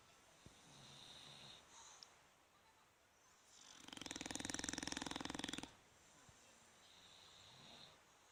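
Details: Bulldogs Fukumaru and Rikyu asleep, recorded 26 November 2016: one long rasping snore swells for about two seconds, built of rapid buzzy pulses, between quiet breathing and a soft high hiss indoors.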